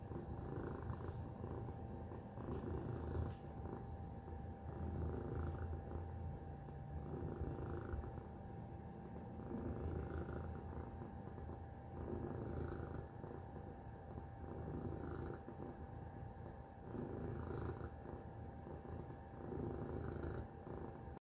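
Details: Low, continuous purring from Tacy the cat, a quiet rumbling drone with rhythmic swells of breath throughout and occasional faint higher ticks and rustles in the background.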